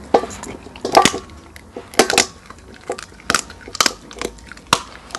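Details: Small hyena eating bones: dry crunching and sharp cracking snaps come in irregular bursts, some clustered, others isolated, with grinding rustles between bites.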